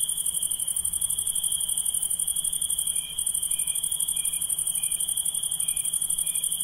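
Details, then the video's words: Nighttime insects sing a steady high ringing note beneath a rapidly throbbing very high buzz; from mid-clip, short lower chirps repeat about every half second, six in all. "Relaxing Insects Sound"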